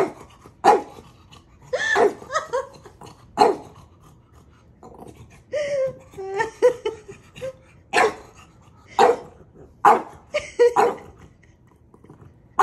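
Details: Maui, a pet dog, teasing and testing the patience of his big brother: sharp, loud barks fired off in irregular bursts, with softer whiny, wavering sounds in the middle and a quiet indoor background.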